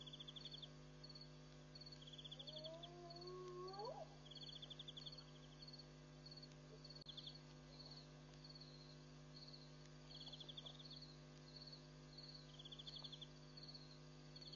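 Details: One rising, swooping whoop from a spotted hyena at Pete's Pond in Mashatu Game Reserve, Botswana, on the night of July 7, 2013, where hyenas came to drink and play; rhythmic cricket chirping and low hum continue afterward.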